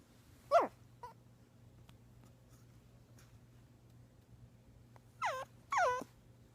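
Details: A young puppy making puppy noises: a short high squeal near the start, a faint peep, then after a pause two quick, high, falling whimpers close together. The room is otherwise quiet apart from a low steady hum.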